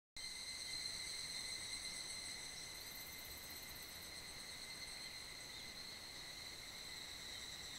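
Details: Higurashi cicadas in a great evening chorus echoing through a valley at the foot of Mount Kanmuri in Funo, mid-July on a hot summer day: steady, dense high ringing with layered bands, unbroken throughout, a brief brighter shimmer near the top midway.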